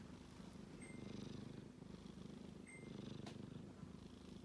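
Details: Snoring kitten while sleeping: a dense, rapidly pulsing low rumble that surges in two long breaths, with two faint high electronic beeps and a light click.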